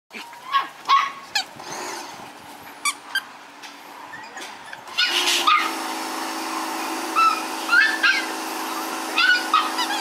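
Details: Three Miniature Schnauzer sister puppies born on April 10 give high, thin whimpering squeaks that rise and fall in short scattered bursts. About halfway through, a loud steady whirring noise starts, and more squeaky whines sound over it.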